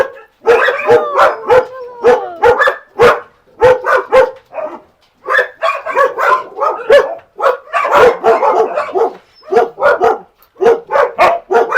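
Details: Rapid volleys of sharp, tonal barks from a Siberian Husky called Max, spaced roughly two per second with short breaks between groups and occasional longer, wavering whines.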